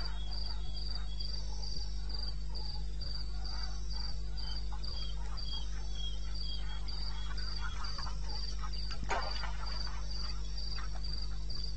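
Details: Night chorus of crickets in eastern Botswana wilderness, 21 May 2016 at 02:30: rapid high-pitched pulses repeated evenly a few times per second, a second quieter caller below, a brief rustle near the ninth second, and a steady low droning hum throughout.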